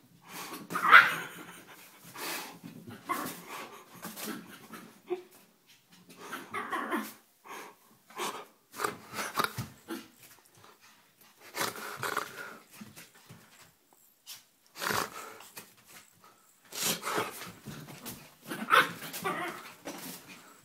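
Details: Tiny 4 lb Yorkie, a female house pet, in a playful feisty fit indoors: raspy panting growls interrupted by quick high yaps, bursts every second or two with short quiet gaps.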